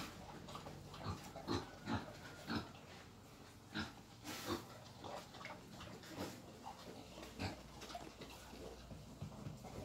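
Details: Wild boar on its way to breeding, letting out short rough grunts roughly every second in an uneven series, with a brief clatter near the middle and faint background hum.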